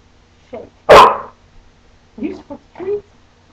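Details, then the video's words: A female puppy speaking for treats lets out one loud, abrupt bark, with brief human voice sounds just before and after. "cute dog barking"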